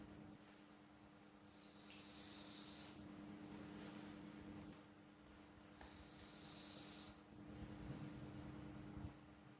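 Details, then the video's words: Pet cat named Flo snoring softly while asleep: faint, breathy hissing bursts on each breath, roughly every four seconds, over a quiet steady low hum in the room. "Suara Kucing Mendengkur"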